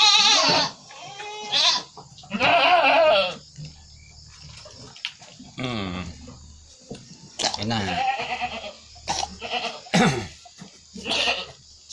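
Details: Goats sick with flu and cough, shown while being given a homemade herbal remedy: several loud, quavering bleats early on, then scattered shorter bleats mixed with a man talking.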